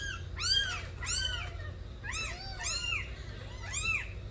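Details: Kittens born to Nabi, a street cat, cry loudly in a quick series of six arched meows, some doubled and overlapping, with a faint low hum underneath.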